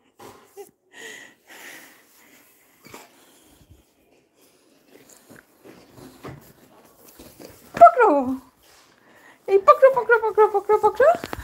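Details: Coco, a Labrador Retriever, indoors in a small room: after scattered soft talk, a falling whine and then a run of high, quavering whimpers pulsing rapidly over the last two seconds.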